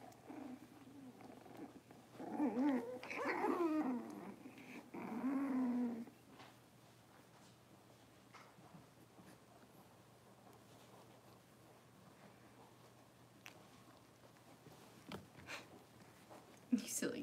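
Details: Six-week-old Cavalier King Charles Spaniel puppies in a puppy pen, handled for deworming and toenail trimming; drawn-out whining and growly whimpers rise and fall for about four seconds, then fade to quiet rustling with a few soft clicks.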